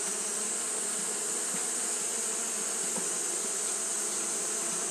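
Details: Continuous fanning hum of Japanese honey bees on a hot day, a steady buzzing drone with faint soft ticks scattered through it and a constant high hiss above.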